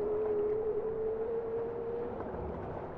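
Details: Bowhead whale song, a clear sustained tonal note held for about two seconds that rises slowly in pitch, set against a constant watery background rumble.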